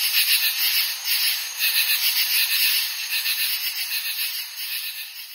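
A katydid chorus fills the air with a hissing, high rasp made of rapid scratchy pulses. The rhythm swells and fades roughly twice a second, with no low sounds beneath it.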